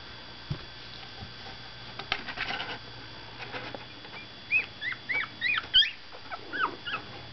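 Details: Miniature Pinscher puppies, 17 days old, waking up after a nap: a litter giving many thin, high squeaky whimpers, short rising-and-falling whines in quick irregular bursts, with soft rustling and faint bumps.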